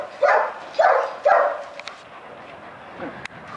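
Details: German Shepherd at the Vom Haus Stanojević kennel barking three times in quick succession, about half a second apart, followed by quieter faint yips and a sharp click near the end.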